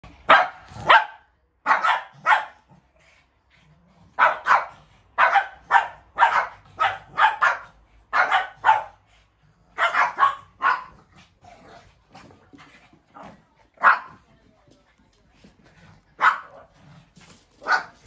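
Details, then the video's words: Shih Tzu dogs barking while fighting in a rematch; sharp, fairly high barks in quick bursts of two or three, dense at first, then spacing out with pauses, later barks fainter. "Shih tzu Barking and fighting REMATCH"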